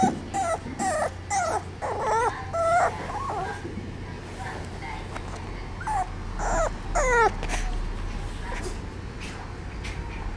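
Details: French Bulldog giving a series of high, wavering whimpers and whines in short bursts during the first half, then a few more rising whines around seven seconds, over a steady low hum.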